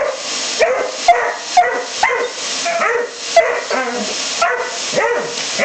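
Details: Dobermann (Canis familiaris), bark.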